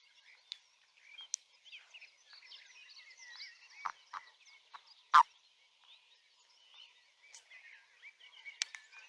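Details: Frogs singing their mating songs: a busy chorus of small, chirping and clicking calls scattered through the clip, overlapping at a moderate pitch, with a few sharper, louder clicks standing out against a quiet background.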